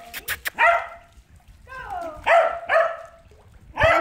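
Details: Rio, a Cardigan Welsh Corgi, during a swimming session gives four sharp, harmonic barks with a short whine between them. The barks come in a quick pair near the middle, and an encouraging human voice sounds at the start.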